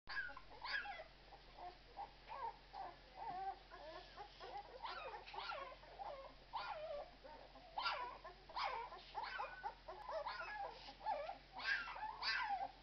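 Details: Twelve-day-old Irish Red and White Setter puppies, several of them, giving high thin squeaks and whines in quick overlapping bursts, some rising then falling, with a steady low hum behind them.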